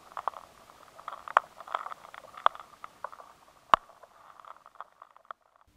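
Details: Rice weevil larvae gnawing inside stored grain, heard loud and clear in a high-sensitivity recording as a run of dry, irregular clicks and scrapes.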